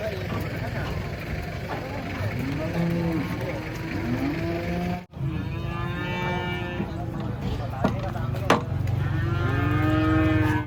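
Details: Cattle coming down from a truck at a market give several short, low moos in overlapping bursts, amid constant crowd talk and engine rumble.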